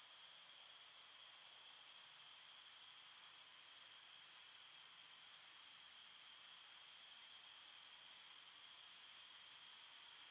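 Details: Crickets chirping at night in a forest, a dense, steady high-pitched trill with a bright band and a fainter lower band, unbroken for the whole stretch, no other sounds.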